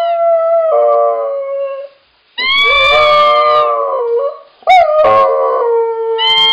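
A Siberian Husky howls in long, wavering, tonal notes that rise and fall.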